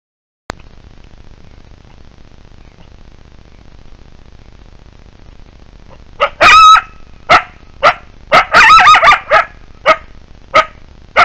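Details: Wild coyotes: about six seconds of near silence, then a sudden chorus of sharp, high yips and short wavering howls, bursts coming roughly every half second to second, some overlapping, until the end.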